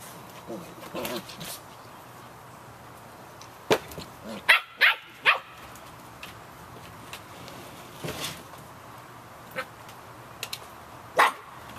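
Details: Fifty-one-day-old Samoyed puppies yapping in the rain, with quick high yaps in an irregular burst, several close together mid-clip and one more near the end, all against constant rain hiss and softer whines early on.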